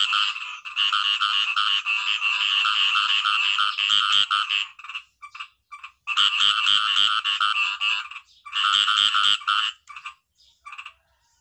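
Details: Green paddy frog chorus of harsh, rapidly pulsed croaks in long bursts broken by short gaps, trailing off into a few scattered single notes at the end.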